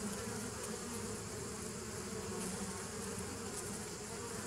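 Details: Bees of a 2017 nuc colony, recorded 27 September 2018: a steady, dense hum with low droning bands and a bright hiss above, unbroken throughout.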